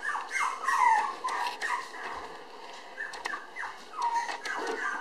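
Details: Red girl Toy Poodle puppy, born May 24 and weighing 700 g on June 30, whimpers in drawn-out descending whines and small yips, in two main bouts separated by a short lull.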